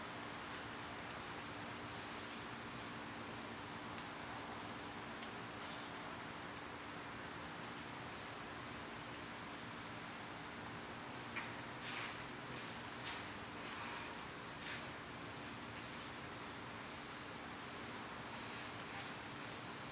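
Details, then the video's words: A continuous piercing insect drone from summer cicadas fills the air, steady in pitch; midway, a short cluster of faint chirps from other animals breaks in over the hum. "Cicada sounds"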